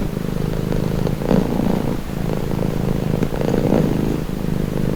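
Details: Low, throbbing purr from a domestic cat, steady and near, with slight swells around the first and fourth seconds.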